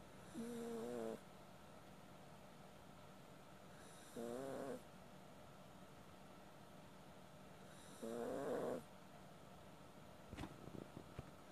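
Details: Sleeping Maltese dog snoring. Three drawn-out, tonal, humming snores last about a second each and come roughly every four seconds, with quiet breathing between and a faint click near the end.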